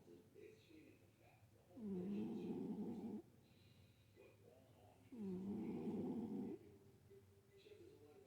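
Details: Pet cat named Winnie snoring while asleep: two long, rasping, low breaths about three seconds apart, each lasting over a second, with quiet pauses between.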